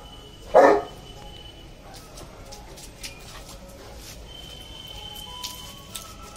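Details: A Saint Bernard playing, with rain mentioned, gives a single short, loud bark just after the start, then the rest stays quiet apart from faint steady tones and light background noise.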